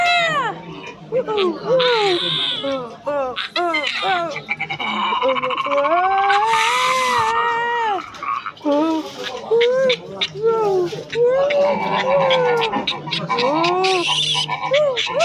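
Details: Silvery gibbon call sequence: rapid arched hoots that build into longer, swelling rise-and-fall notes, then fall back to quick hooting, with bursts of harsh noise between phrases.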